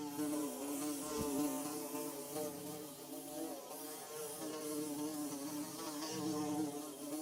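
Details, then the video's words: Busy bees building a hive make a dense, steady buzzing hum with wobbling harmonic bands, fairly loud and close, swelling gently in volume over several seconds. "Bee Buzzing"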